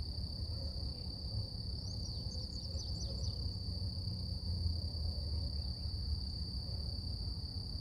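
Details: A steady, high, unbroken drone of cicadas in nature in the morning, with brief bird twitters and a low rumble.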